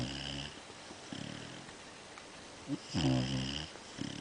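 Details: Basset Hound mix dog snoring indoors: soft, rough breathing for most of the stretch, then a louder rasping snore near the end, with buzzy low harmonics and a brief grunt just before it.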